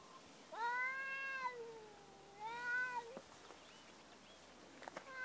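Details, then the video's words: Domestic cats talking. Two clear, harmonic meows, each about a second long with a gently rising then falling contour, separated by a short pause in a quiet room, and a brief third call starting at the end. "Talking cats"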